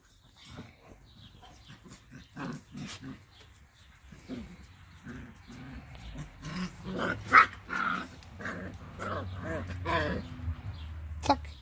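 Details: Labrador Retriever mother Lilly with her puppies of the 2020 E litter in a garden. Low growls and short yelps come in a loose series, mixed with people talking.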